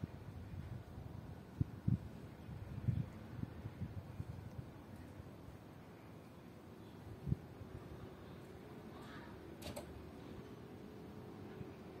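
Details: Quiet indoor room with a low fan-like hum, a few soft knocks and thumps, and faint scattered noises, with no clear animal voice heard.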